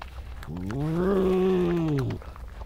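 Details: European badger on an evening of 2 July 2014, one of a vocal animal's grumbles amid scuffles before a chase down the paddock: a single whine of about a second and a half that rises, holds steady, then falls away, with low rumble beneath.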